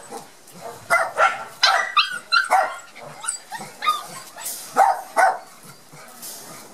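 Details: A litter of Border Collie puppies from Gem & Sky, barely moving on their first trip to the garden after their first vaccination, utter sharp, high yips in uneven bursts, with short quiet gaps between them.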